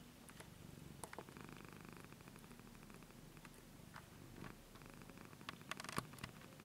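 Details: Domestic cat of 15 years purring in a low, even rumble through several breaths, punctuated by clicks, taps and rustling handling noises.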